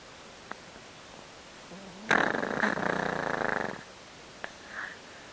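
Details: An old Yorkshire Terrier, a pet guard dog, asleep with a somewhat blocked nose, gives one loud, rough, rattling snore lasting under two seconds. It breaks a quiet background, and faint clicks come before and after it.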